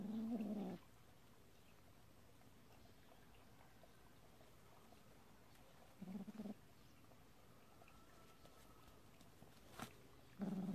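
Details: Kitten from a cat family living in a storage shed, playing with a mole: three short, low, tonal calls with a buzzy edge, spaced roughly five seconds apart, with near silence between them.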